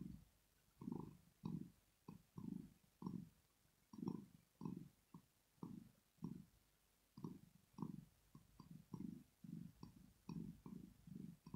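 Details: Rosetta the female cat purring in her sleep out of pleasure or relaxation; soft, rough rumbling beats repeat regularly, each breath cycle split into a quick pair of low pulses, with a faint higher tick on each.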